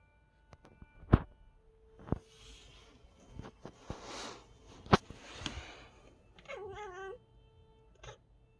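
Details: Domestic cat making a strange sound at the sight of a bird: a brief, wavering, warbled call near the end. Sharp knocks and thumps come before it, over a faint steady tone.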